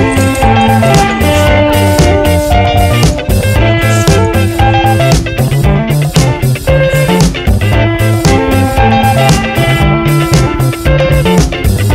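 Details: Loud funky rock music with plucked guitar and a steady beat fills the whole stretch, and no animal sound.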